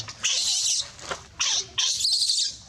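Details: A monkey gives three loud, hissing, high-pitched screams in quick succession while calling for help.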